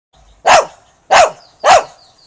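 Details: A Shih Tzu puppy barks at a rat caught in a trap, giving three sharp, high barks spaced roughly half a second apart.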